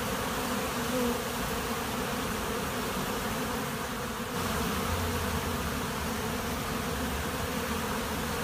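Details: A honey bee swarm hums at a monastery apiary, a continuous layered buzz with occasional closer, higher-pitched passes of individual bees over the steady drone.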